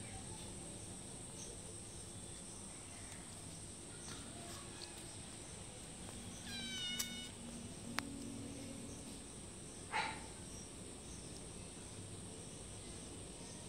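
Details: Cat begging for food outside a house: a single clear, drawn-out falling meow midway, then a sharp click and a brief soft sound later, with a constant shrill cricket-like drone throughout.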